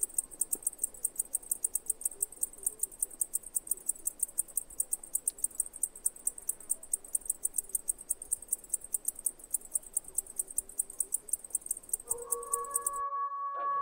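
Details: Greek cicada described as crippled, a big noisy insect, giving a fast, steady series of sharp, high ticking pulses for about thirteen seconds, then stopping abruptly; a brief tonal sound follows at the end.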